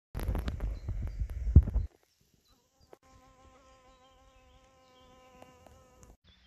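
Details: A greater bee fly flying in the sunshine. Loud rumbling thuds fill the first two seconds, followed by a steady, slightly wavering humming drone from about three to six seconds.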